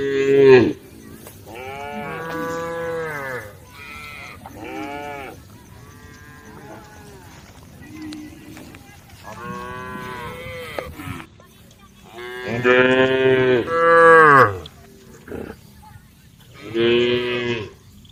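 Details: Herd of cows on the road calling to one another: repeated harmonic-rich moos, some short and some drawn out, arriving in bursts with quieter gaps between.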